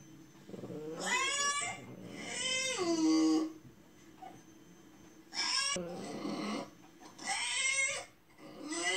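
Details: Crying French Bulldog at home, whimpering in sympathy with a bulldog crying on TV: long, drawn-out harmonic whines that bend upward then sag, several in a row with brief pauses, loud and close in a small room.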